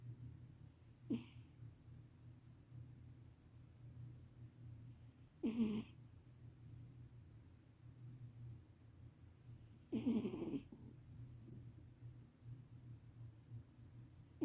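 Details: A cat asleep and snoring loudly, producing four harsh, gravelly breaths at irregular gaps of roughly four seconds, the third longest and loudest, with a soft steady hum filling the pauses.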